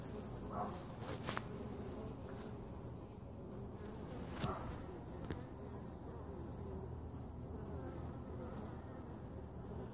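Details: Bees at a top bar hive during an inspection and feeding, a low steady hum of many insects under the whole recording, with a few faint clicks and bumps from handling the hive.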